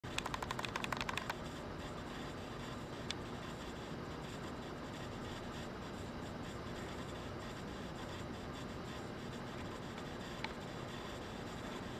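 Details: Steady low broadband noise like a fan or distant vehicle hum, with a burst of faint scratching clicks in the first second and a couple of isolated ticks later; no animal voice.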